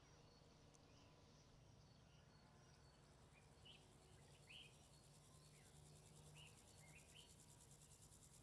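A grasshopper's high, thin pulsed buzz runs steadily over a low rumble, with scattered faint chirps.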